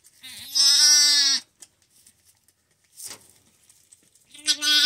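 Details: A newborn male lamb, just delivered by a first-time mother sheep and still steaming, gives his first high, quavering bleat, then a second moments later; sheep (Ovis aries) bleat.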